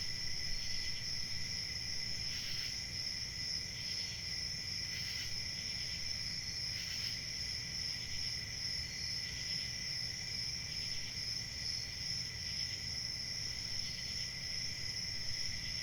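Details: Crickets chirping in a dense, continuous chorus: a steady high shrill trill over a lower ringing band, with brief brighter swells every couple of seconds, above a soft low rumble.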